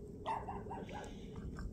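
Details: A countryside puppy met on a winter walk in rural Taean, Korea, while out digging shepherd's purse, excited and happy to see people: one short high yelping whine followed by softer whimpers, with faint human voices nearby.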